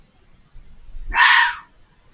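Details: At night, a fox out of sight on the other side of a hedge gives a single harsh, rasping scream, loud and abrupt against a quiet background; it was very vocal for over five minutes.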